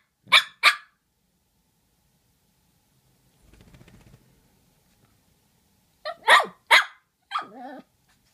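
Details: Two dogs named Murph and Maverick barking at each other: a quick pair of sharp barks, a quiet gap with a soft low rumble, then three more barks and a short whining tail.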